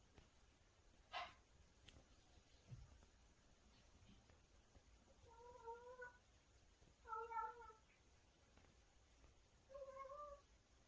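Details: Cat, described as making a strange sound while eating something tasty: three short, wavering meow-like calls near six, seven and ten seconds over a faint background hiss, with a sharp click early on.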